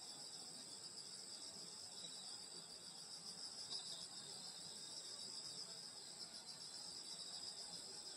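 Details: Countryside summer night chorus of grass insects near a grandmother's house, a continuous high-pitched ringing drone of overlapping trills that never pauses, with a soft low murmur beneath and no birds or voices standing out.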